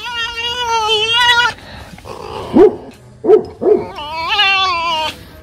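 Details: Tame pet fox at home during morning chase play: a long wavering harmonic whine, three short sharp yips, then another rising nasal cry, over quiet background music and room noise.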